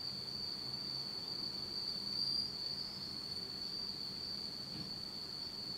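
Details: Night-singing insects in autumn in Japan, in pitch darkness: a constant high trilling band, faint high chirps now and then, and a low background murmur.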